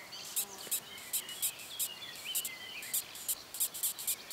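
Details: Longhorn beetles, Cerambyx scopolii, squeaking in June 2015: short, high, scratchy squeaks repeated about three times a second in an uneven rhythm, with faint whistled bird notes in the background.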